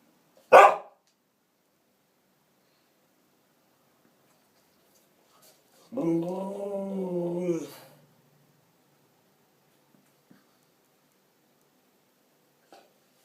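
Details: Siberian Husky that follows its owner to the bathroom and opens the door to 'talk': after a short sharp noise, a single arched, wavering howl-like vocalization of about two seconds, rising then falling, in a quiet small room.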